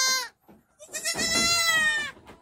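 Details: Goat on a village farm in Muncang, Sodonghilir, where several does kidded on one day; a brief bleat, then a loud, long, quavering bleat with rich harmonics lasting over a second.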